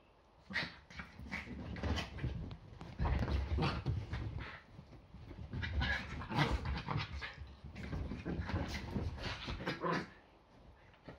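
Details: Yorkshire Terriers play fighting at home on a Sunday morning before breakfast; low rumbling growls and scuffling come in dense bursts, swelling between three and ten seconds, with brief sharper yelps mixed in.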